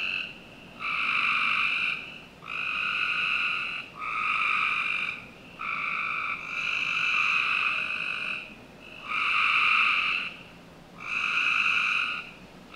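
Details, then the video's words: Summer-night frog chorus from a Northern Virginia home's backyard, with a run of steady buzzing trills about a second long, repeated roughly every one and a half seconds, some overlapping as several callers join in. "Frog Night 1"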